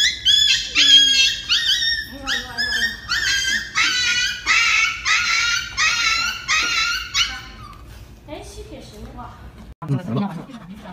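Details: Dog getting an injection, crying out in a rapid series of high, strained yelps and whimpers, more than one per second. The cries fade after about eight seconds, and a person's voice and low rustling follow.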